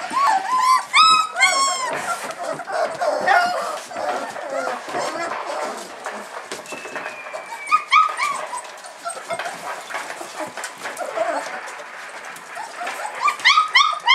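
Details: 26-day-old Hungarian Vizsla puppies at their first supplementary feeding with puppy milk whine and squeal in high, wavering bursts, with a human voice in the background.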